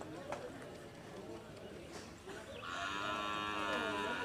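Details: Cattle at a Karapan Sapi bull race training session on the Asemanis field in Pamekasan, Madura, East Java, Indonesia: a long, sustained, richly harmonic moo rises in the final second and a half, after talk and crowd noise.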